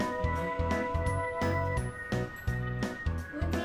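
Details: Bouncy background music with a tinkling jingle and steady beat fills the short stretch, with no animal sound.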